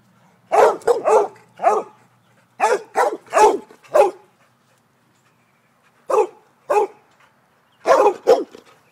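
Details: Chasing birds, a Basset Hound lets out bursts of gruff barks, three or four in quick runs, then a pause, then further single and doubled barks at an irregular pace.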